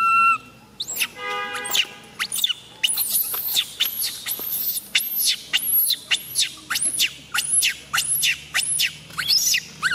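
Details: Tiny female baby monkey MoMo crying after falling down; a run of shrill, squeaky cries sweeping steeply up and down, repeated rapidly and unevenly, with a short buzzy harmonic burst near the start.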